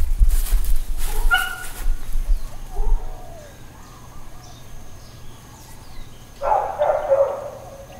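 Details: Dog barking intermittently in Hawaiian Paradise Park, Hawaii, on September 2, 2024, part of ongoing uncontrolled neighbourhood barking; distant barks come in a short burst near the start and a louder cluster later, over low background rumble.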